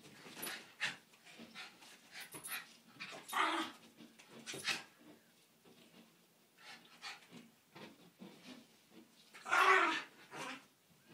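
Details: Miniature schnauzer reacting indoors to a window cleaner, giving scattered barks and huffs, with a loud burst near 3.5 seconds and a strong bark around 9.5 seconds, quieter noises between.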